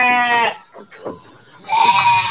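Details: Garut sheep, large animals kept for Qurban 2024 in a deluxe pen, giving a loud, harmonic bleat at the start, then a short pause with soft voice, and a second wavering bleat closing the recording.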